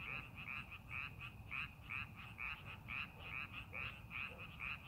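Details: Frogs calling in rice paddies being prepared for farming; dense chorus of short, bright, rasping croaks repeated rapidly, overlapping in quick pulses, over a steady low rumble of background noise.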